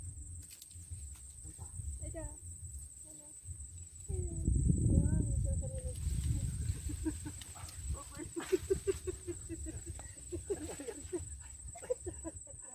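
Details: A steady, very high insect whine drones without a break under people talking nearby, recorded while car camping with an ocean view at Mt. Gulugod Baboy, Mabini, Batangas, Philippines.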